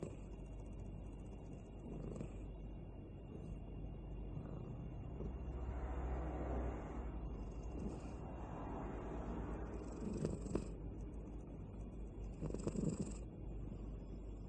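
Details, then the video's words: Balu the cat, asleep, snoring: soft breathy rasping swells recur roughly every three seconds over a steady low hum, with a few brief clicks near the end. "Cute Cat Sleeping and Snoring"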